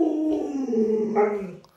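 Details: Lolo, a pet Alaskan Malamute, howls indoors in a sustained, slightly wavering tone that starts higher and sinks gradually, rising briefly before tailing off, while a person's voice is heard around it.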